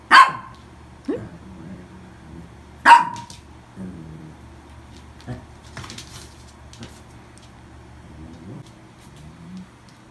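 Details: Toy poodle brought home through adoption, giving two isolated sharp yaps about three seconds apart, then mostly quiet room sound with faint clicks and soft thumps for the rest.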